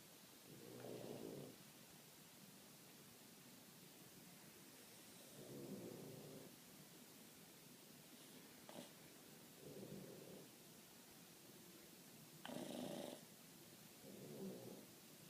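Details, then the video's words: Two Boston Terriers snore loudly while asleep, with low, rasping rumbles every few seconds. "Two Boston Terriers snoring really loud!"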